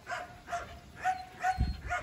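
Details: Belgian Malinois named Thor barking during a field training day for obedience and control: five sharp, even barks in quick succession, about two per second, with faint outdoor background noise.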